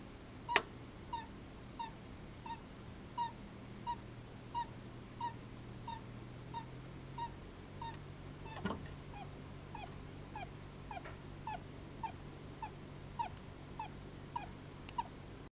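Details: Russian Blue Djungarian hamster asleep, snoring and sleep-talking: soft squeaky peeps repeated roughly every 0.7 seconds through the whole stretch, each with faint high overtones, over a steady low hum.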